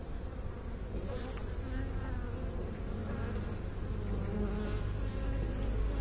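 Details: Honey bees droning in a deep, continuous hum, overlapping wings creating wavering tones that rise and fall slightly, with a few faint higher ticks over the steady buzz.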